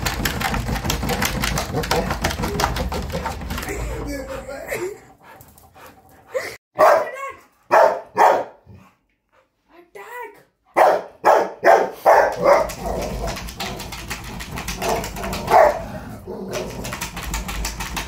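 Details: A Rottweiler gives deep, forceful barks in quick bursts during attack training, with a human voice and background noise.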